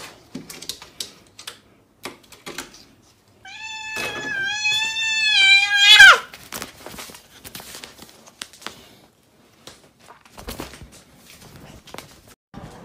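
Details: Domestic cat reacting to being bathed, giving one long drawn-out yowl of about two and a half seconds, steady and slightly wavering, then rising sharply at the end, set among scattered clicks, knocks and rustling in a small room.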